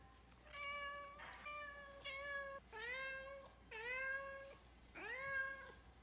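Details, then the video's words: Domestic cat meowing while trying to get into a room, a regular routine: five drawn-out, harmonic-rich meows in about six seconds, several starting low and rising before leveling off, indoors. "Cat meows until he gets in"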